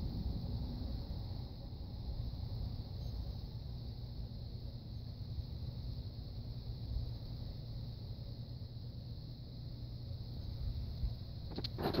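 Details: Only a steady low rumble, like a passing vehicle or wind on the microphone, with no animal calls.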